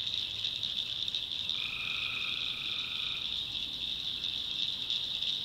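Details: Tree frogs calling at night in a swamp in the backwoods of North Carolina: a dense, steady high-pitched chorus, with one lower, droning trill lasting about two seconds in the middle.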